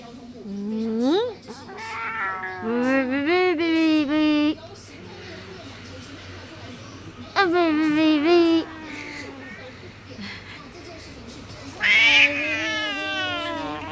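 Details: Bad-tempered 14-year-old female house cat in Taoyuan, Taiwan, filmed February 19, meowing loudly to complain as her owner kisses and hugs her; drawn-out, wavering meows come in bursts between a girl's speech.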